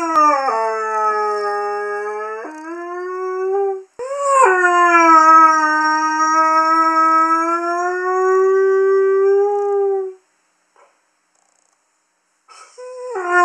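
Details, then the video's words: Young male Curly-coated Retriever named Haru howls, a habit when bitches are in season; long sustained tones, one held low and steady, a higher one breaking in, then a long even howl, a pause and another starting. "Curly Coated Retriever Haru howling"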